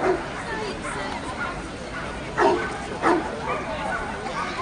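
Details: Dogo Canario barking at a national dog show in Toruń, Poland, August 2007. One bark opens, then two strong barks come about 0.6 seconds apart, set against constant background talk and murmuring from the show crowd.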